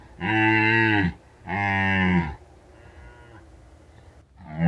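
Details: Red deer rutting in the mountains of Bucovina at peak season, recorded at night by a drop rig left out for a week; two long, loud harmonic bellows about a second each, then a fainter lower groan and a rising start at the end.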